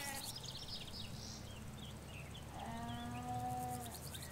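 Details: In a Hampshire countryside field of ewes and lambs, one long, steady, slightly nasal bleat rises after a quiet stretch, while birds chirp and trill softly behind it.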